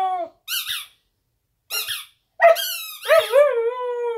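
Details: Female Siberian Husky puppy howling for her squeak toy on a bed indoors: short, high, wavering tonal cries in separate bursts, ending in a longer falling howl with a bent, quavering pitch. Brief squeaky notes are mixed in.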